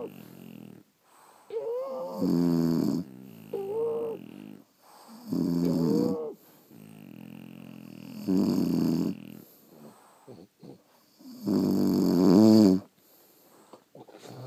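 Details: Snoring from sleeping French Bulldogs: a run of five or six rasping, buzzy breaths at irregular intervals, some carrying short whistled squeaks, with soft snuffles and pauses between.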